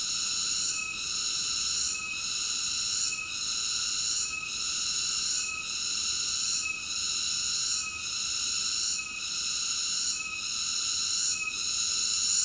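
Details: A cicada's shrill, sustained buzzing whine with rich high harmonics, pulsing in volume at a steady rate of just under one beat per second, with no background sounds.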